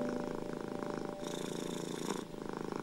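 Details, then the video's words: Close domestic cat purr dominates, a dense, fast-pulsing rumble with a faint steady tone behind it, part of soothing sound for anxious, ill and stressed cats. "Cat Purring Sounds and Piano Music ♬ Deep Soothing Music for Anxious, ill and Stressed Cats!"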